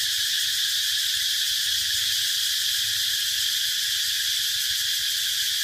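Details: Continuous shrill cicada buzz, high and even throughout with a slight pulsing texture and no pauses.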